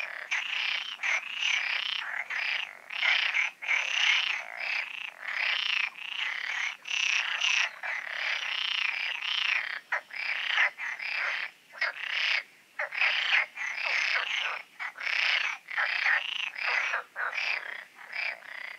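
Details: Night-time frog concert in the Oasis ponds: continuous dense rattling croaks from many frogs, rising and falling in bursts with only brief dips, steady throughout.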